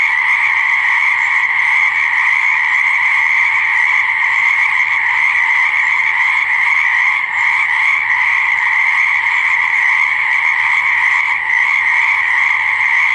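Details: Many frogs croak at once beside a pond or swamp, their high trilling voices fused into a dense, continuous drone with only slight flickers in loudness.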